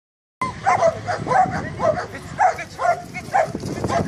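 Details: Boerboel dog during a workout in the Western Cape, barking in a steady series of about seven short, sharp, mid-pitched barks, roughly one every half second, after a brief silent start.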